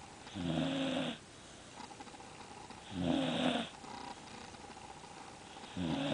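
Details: A pet dog napping after a morning of opening Christmas presents, worn out, snoring indoors: rough, breathy snores lasting under a second each, repeating about every two and a half seconds over steady background hiss.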